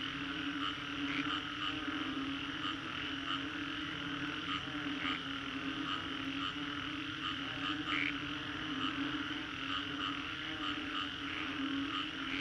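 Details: Frogs calling after a storm in Singapore's Green Corridor, captured as a 3D soundscape: a dense, unbroken chorus with a steady low drone, rapid pulsing trills and scattered brighter chirps popping out every second or two.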